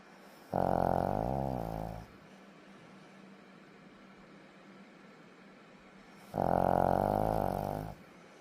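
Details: A dog asleep indoors snores in long, rasping, buzzy breaths of about one and a half seconds each. The snores come roughly every six seconds, with near silence between them.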